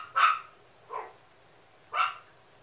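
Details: Male Toy Poodle giving three quick, high-pitched yapping barks within under three seconds, the middle one softer and lower.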